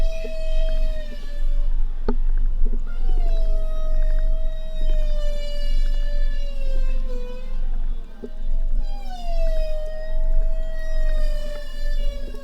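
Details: Bowhead whales in the northern Bering Sea, Arctic, give long tonal moans, sliding and wavering, rich in harmonics, one after another.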